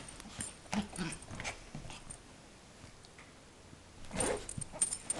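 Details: An 8-month-old female Yorkshire Terrier gives short, rough growling bursts while guarding her toy in play, trying to sound scary so her owner can't take it.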